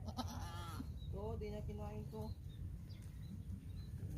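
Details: Goat being given a drink, with a short run of wavering, harmonic bleats in the middle over a constant low rumble and Tagalog speech before and after.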